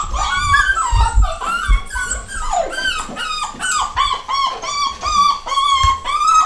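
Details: Pedigree miniature dachshund puppies from a home-bred litter, nine weeks old, boys and girls, crying loudly indoors: a steady run of high, bending whines and yelps from several pups overlapping, with low knocks and bumps.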